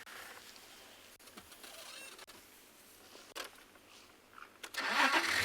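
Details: A safari vehicle's engine starts and runs at Djuma Private Game Reserve at sunrise, with clicks, a rising roar at the end, and no animal calls.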